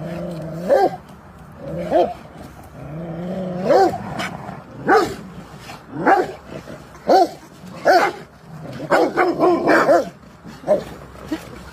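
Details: Rottweiler playing on a field, giving a series of short barks and growl-like yelps at irregular intervals, some rising then falling in pitch, with quiet background noise between calls.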